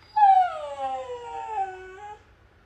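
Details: Male husky indoors, sulking at its owner and refusing to look at him, lets out a mournful drawn-out howl that opens loud and high, then sinks steadily over about two seconds before fading; no other sounds.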